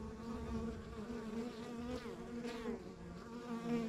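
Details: Honey bees at a rural backyard beehive: a dense, steady low hum of many bees with layered droning tones that waver slightly in pitch, continuous throughout with no other clear sounds.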